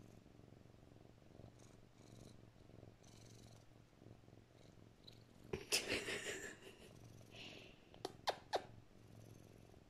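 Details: Pet cat purring while held in its owner's arms and petted, touching her face and kissing her nose and lips; a low, steady rumbling purr runs throughout, broken by kissing smacks and rustling of fur and clothing near the end.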